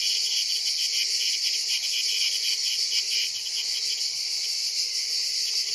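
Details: Cicada orni, the ash cicada, held as prey by a praying mantis, gives a steady shrill buzz that stays even in loudness throughout, with a soft pulsed texture and a few faint low thumps near the middle.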